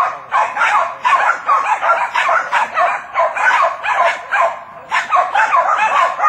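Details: A Jack Russell Terrier barks rapidly and insistently, sharp yaps tumbling out two or three each second, while working with other terriers to hold a cornered wild boar during a hunt, as handlers urge them on.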